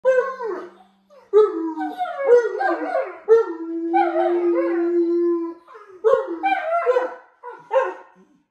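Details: Several Alaskan Malamutes howling together: overlapping, wavering howls that rise and fall in pitch, with short breaks between bursts and one long, steady, level note held for about two seconds in the middle.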